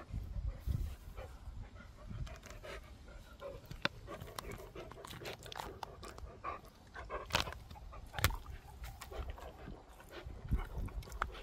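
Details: Dog named Gorlock The Destroyer panting and grunting while eating and playing; quieter breathy rhythm with soft low grunts, intermittent sharp clicks and chewing or licking noises across the recording.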